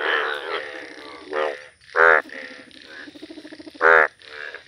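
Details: Village chorus of yellow Indian bullfrogs, with two loud, sharp, nasal croaks standing out about two seconds apart over a softer, rapidly pulsing background of other calling frogs.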